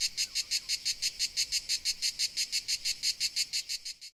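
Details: A cricket in Dalmatia, Croatia, chirps in clearly separated, regular high pulses, about twenty-five in four seconds, before the sound stops abruptly.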